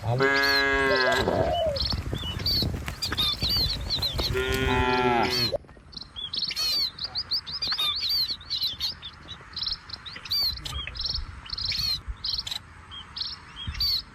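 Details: Two loud, drawn-out moos from cattle being driven along a village road past rice fields open the recording; afterwards only scattered bird chirps and faint background sounds remain.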